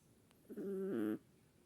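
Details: Sleeping Chihuahuas snoring: one drawn-out nasal snore of under a second, tonal and humming with a steady low pitch that shifts slightly midway, then quiet room.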